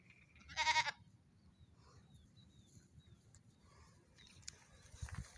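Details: Young goat kids on a morning run, one short nasal bleat near the start with stacked harmonics, then quiet rustling and faint scattered chirps in the background.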